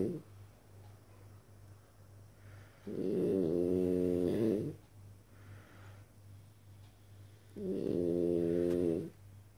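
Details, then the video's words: Three-year-old French Bulldog asleep on his back on the living-room couch instead of his basket, snoring: two long, harmonic, rasping breaths a few seconds apart, separated by quiet, over a steady low electrical hum. "le bouledogue français ronfleur"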